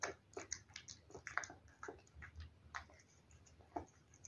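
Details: Soft, evenly spaced mouth clicks and small smacks from a cat eating wet food, roughly under a second apart, fairly quiet.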